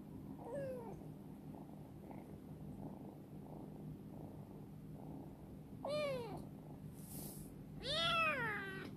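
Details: Chibikuro, a rescued black female former stray cat kept in a warehouse and now grown affectionate, gives three separate rising-falling meows, one early and two close together near the end, over a steady low hum.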